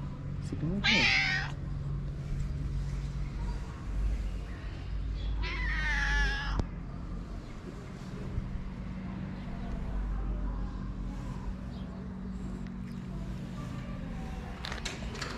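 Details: Calico street cat in Morocco, a stray with a black spot on the nose, gives two meows. One is short and the other longer and wavering, about five seconds apart. A long stretch of low rumbling ambient noise follows.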